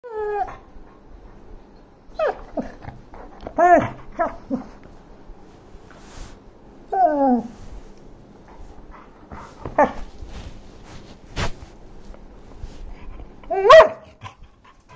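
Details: A dog gives high, tonal whines that slide downward, broken by short sharp yips and a few quick yelps. The bursts come every one to two seconds, with quiet gaps between them.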